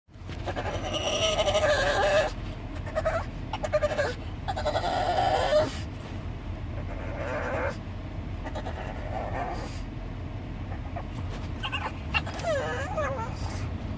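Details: A pug on a car trip gives drawn-out, wavering, high squeals and whines, sliding up and down like a dolphin's chatter in bursts of a second or two, over a steady low engine and road rumble.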